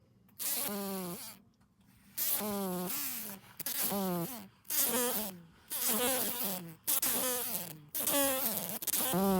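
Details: Green fly that flew into a house, caught and held in the hand while being carried outside to be released: loud, reedy buzzing in bursts of about a second, broken by brief silences, the pitch sagging and recovering within each burst.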